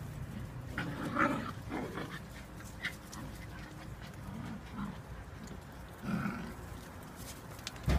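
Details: Whippet puppies, eight weeks old, playing wildly; soft growls and short squeaky yelps come in scattered bursts over a low steady rumble, with brief thumps of movement.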